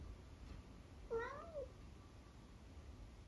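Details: Very vocal 12-year-old tabby cat from the UK utters a single clear meow, about half a second long, that starts level and then bends up and down in pitch. Only quiet background hum surrounds it.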